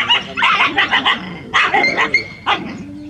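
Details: Rural street dogs in a big group in a village, barking loudly: a rapid run of sharp yapping barks, a pause, then another burst and a final bark, voices overlapping.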